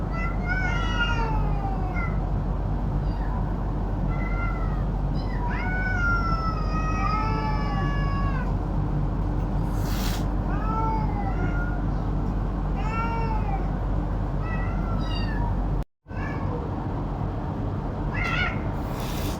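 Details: Hungry domestic cats and a kitten meowing while squabbling over food, an angry adult slapping the kitten; a long run of harmonic-rich, rising-then-falling meows, several per second at times, over steady low rumbling background noise, one brief dropout near the end.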